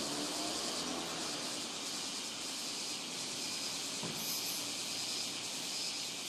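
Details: Robust cicadas at Rokugo Shrine, Ota, Tokyo, captured on a Sony PCM-M10 in a season whose cicadas started around 20 July. A dense, continuous high-pitched buzzing chorus, with a low rumble of passing traffic beneath.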